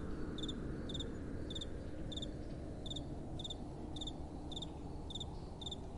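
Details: Crickets calling at night in soft wind, each chirp a crisp double-pulsed high note, spaced a little over half a second apart, over a steady low breeze.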